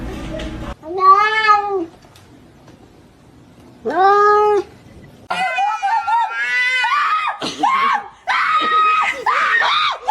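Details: Kitten meowing indoors: two long, drawn-out arched meows about two seconds apart, then a run of louder wavering, strained cries while a woman talks and exclaims over them.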